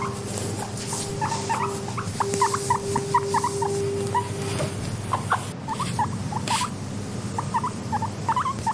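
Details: Content pet guinea pig making soft wheeks: short squeaky chirps repeated in quick uneven bursts, over a steady low hum, with a plain sustained tone through the first half.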